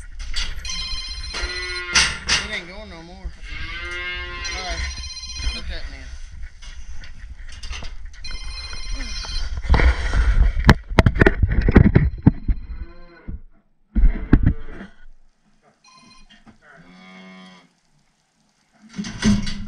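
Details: Red Angus calves and cows at a working: wavering harmonic lowing near the start, heavy rattling and banging of gates midway, then brief short moos between pauses.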